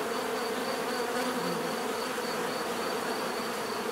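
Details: Bees buzzing steadily in a natural setting, a dense continuous drone with a strong band in the low-mid range and overlapping hum from many insects; a faint high steady tone runs throughout.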